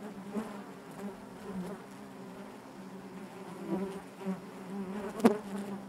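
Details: Hive of honey bees humming continuously, a low droning buzz with layered overtones, small pulses of louder buzzing and a sharp brief knock just past five seconds.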